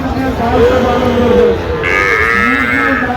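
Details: Sahiwal bull calves at a cattle market in Tangail, Bangladesh, on 16 October 2025: a drawn-out, mid-pitched moo that wavers, then shifts to a higher, strained tone, over steady market hubbub.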